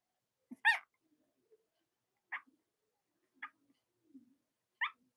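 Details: Cavalier King Charles Spaniel puppies from the litters of Robin and Myra, indoors on a chilly Monday morning near Halloween in the US: four short, high squeaks spaced one to one and a half seconds apart, with soft low grunts between them.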